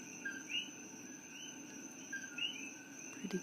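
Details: Coqui frogs chorus at night in Hilo, Hawaii, far from their native Puerto Rico. Two clear rising whistles, each led by a short lower note, sit over a steady high drone, and a brief low sound comes at the end.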